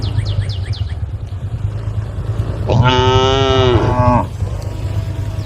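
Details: A single long moo, steady and then dropping at the end, from tame female cows calling out to an angry herd. A low background rumble runs throughout, with faint high chirps at the start.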